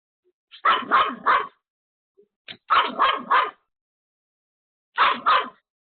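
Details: A Pomeranian, alone at home, barks hard at a sudden caller at the door: three tight bursts of two or three shrill, clipped barks each, separated by pauses of one to two seconds.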